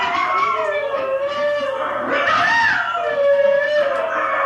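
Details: Hailey, a pet dog, howls to husky recordings. Several overlapping, quavering howls are heard, with one voice climbing to a higher bent note midway and others holding lower tones.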